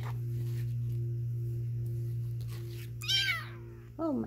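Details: Three-week-old Egyptian Mau kittens, including silver males, mewing indoors: two short, high, harmonic mews in quick succession, the first rising then falling, the second lower and sliding downward, over a steady low electrical hum.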